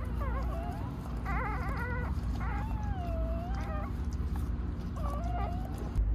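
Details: Hayani, a rescued white Jindo in Gimhae, has just delivered six puppies. Thin squeaky whines are heard: a quick wavering group, then a long drawn-out smooth whine and a last short cry, all over a constant low droning background.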